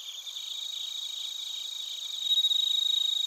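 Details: Bell crickets and crickets in Narita, Chiba, Japan, recorded on a TASCAM Portacapture X8: a steady high shimmering trill of rapid pulses, swelling louder near the end with a bright, closer chirping voice over the background chorus.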